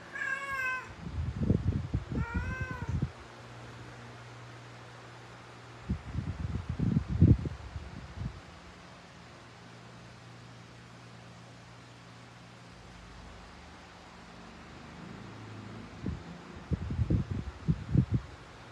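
A female Persian cat in heat gives drawn-out, low, moaning yowls in three bursts with quiet pauses between.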